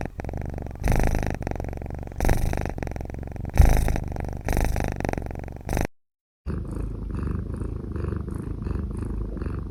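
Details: Kitten purring or snoring steadily while drinking milk indoors: a dense, low rumbling pulse that continues for several seconds, stops briefly near the sixth second, then resumes more softly.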